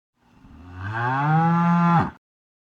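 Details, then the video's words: Cow mooing: one low, drawn-out moo that swells in loudness and holds steady for about two seconds before breaking off abruptly, with no other sounds. "Funny animal sounds: Elephant, cow, chicken, horse, duck, dog, cat"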